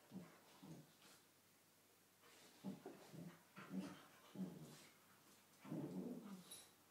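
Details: Two male cocker spaniels trade low, rumbling growls in short bursts as they play fight in the morning.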